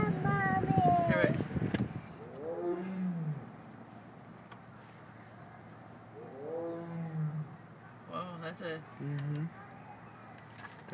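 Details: Siberian tiger (Panthera tigris altaica) at a safari park, April 11, 2010: low, arching, moaning meows, each rising then falling, with people and children talking nearby.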